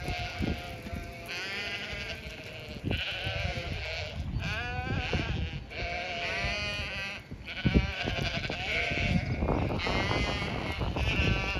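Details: Several Zwartbles sheep on a regenerative farm in County Kilkenny, Ireland, bleat in overlapping, wavering calls to one another in spring as they wait to be fed. A lookout alerts the flock, about eighteen strong, that the farmer is there.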